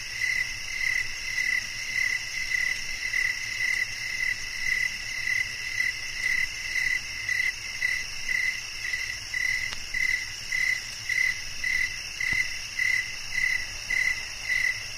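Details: Cricket chirping steadily, short pulsed chirps repeated almost twice per second over a constant high insect hum with several droning bands.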